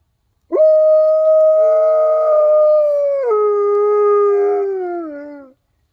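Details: A giant Alaskan Malamute howls along with coyotes, giving one long, steady howl that steps down in pitch and slides lower at the end.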